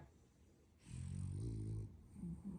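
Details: French Bulldog puppy asleep and apparently dreaming, giving one low, rumbling snore lasting about a second with a softer wheezy tail, in a quiet indoor room.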